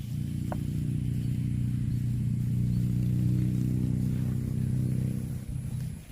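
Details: Cow mooing while eating grass: one long, deep, droning moo holding a steady low pitch for nearly six seconds, swelling slightly in the middle before fading out.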